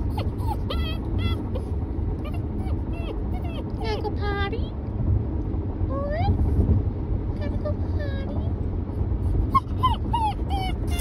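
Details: Great Dane puppy being picked up in Tennessee in November 2020: a run of high, thin whines and yips, many sweeping sharply upward or bending down, repeated every second or so over a steady low rumble.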